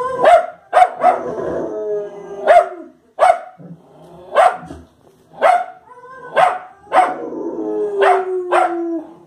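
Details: Fox Terrier barking at the TV with about eleven sharp, loud barks in uneven bursts, some in quick pairs. Short gaps carry fainter sounds from the television.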